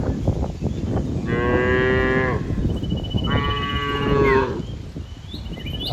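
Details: Herd of cows roaming green fields; two moderately long moos about two seconds apart over a constant low rumbling background noise.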